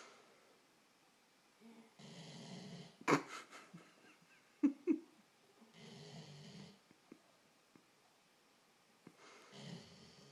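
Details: Labrador named Ayla snoring after an exhausting day of laying around: broad, raspy inhaled snores near two, six and ten seconds, with a few sharp snorts and clicks between them in a quiet indoor room.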